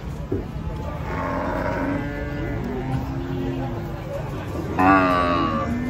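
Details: Agitated cattle being unloaded from a truck, several animals raging: drawn-out, low harmonic moos, one wavering call early and a louder, brighter bellow near the end, with a man talking and background commotion.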